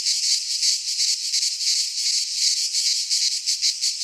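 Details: Several cicadas sing in a pine forest in Greece during midsummer; a rasping, high continuous buzz with rhythmic swells in loudness, rattling like a shaken maraca.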